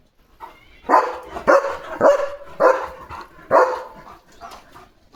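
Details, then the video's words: A German Shepherd barks and jumps on an evening farm watch to protect his area, giving a steady series of about six loud, rough barks roughly half a second apart. "German Shepherd Potty Mission ✔️ Barking Mode ON"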